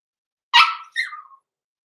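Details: Six-week-old blenheim Cavalier King Charles Spaniel puppies in an indoor home puppy pen, born November 14, 2022: one sharp, high puppy bark followed at once by a shorter yelp that trails into a thin falling whine, in an otherwise quiet room.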